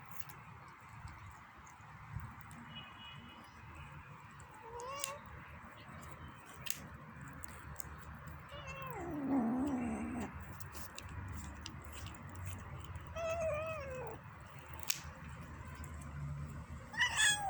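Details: Female kitten making funny sounds while she eats: faint, short wavering mews and growl-like notes near five, nine to ten and thirteen to fourteen seconds, over a steady background hum with small clicks and knocks.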